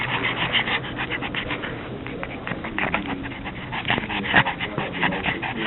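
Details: Hot female pug, unhappy in the heat, panting fast and raspily with snorting, wheezy breaths and a few thin squeaks.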